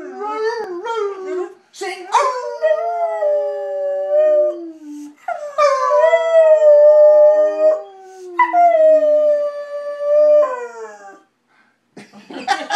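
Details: A pet dog singing a tune at home: long, wavering, tonal howls that slide up then slowly fall, several drawn-out phrases separated by short breaths, with a brief human voice at the end.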